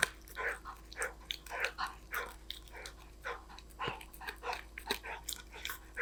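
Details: A golden retriever munching snacks gives bright, crackly crunch after crunch in an uneven rhythm, each bite a short sharp burst, with a few soft knocks.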